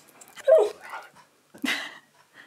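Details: Siberian Husky indoors protesting at being put into a new harness: a sharp rising yelp-like whine, a pause, then a higher drawn-out vocal moan, with a person's voice nearby.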